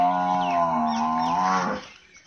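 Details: Nili-Ravi buffalo offered for sale in Pakistan gives a loud, drawn-out, low harmonic moo of about one and a half seconds, holding steady, then briefly rising before cutting off into quiet background.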